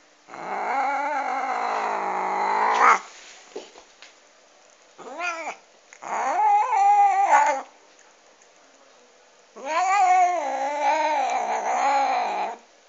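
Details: Domestic cat eating a duck bone, giving three long, harsh, growling yowls of about two to three seconds each, rough and wavering, separated by short pauses, with soft Czech speech nearby.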